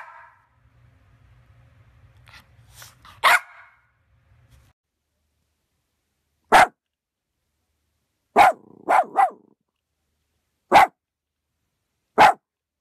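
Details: Yorkshire Terrier giving sharp, isolated barks spaced several seconds apart, one quick double bark in the middle, a faint low hum early on and otherwise silence between calls.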